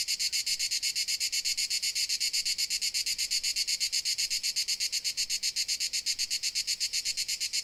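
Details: A cricket in Dalmatia gives a bright, high, buzzy chirping that pulses at an even, rapid rate of about four chirps a second, with no other sounds behind it.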